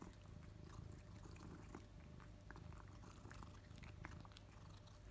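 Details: Kimi, a male pet cat, eats favourite wet food from his bowl; softer scattered smacks and licks sit over a prominent steady low rumbling hum, with fewer chewing clicks than usual.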